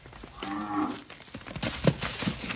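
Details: Brahman bull being handled and driven, giving a brief nasal moo in the first second, followed by clattering, thuds and a man calling to it.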